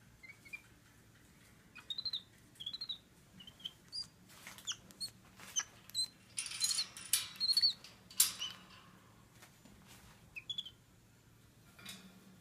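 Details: An 11-week-old pet capuchin monkey named Flynn, filmed on 8/7/15 while unhappy during a few seconds in his cage, gives thin, high chirping squeaks in short bursts between sharp rattling and clattering knocks.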